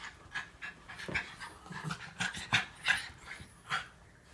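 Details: Playful wrestling among Norfolk Terriers keeping young Ernie under control: rapid, irregular breathy huffs and pants, about three each second, some louder snorting bursts between softer ones.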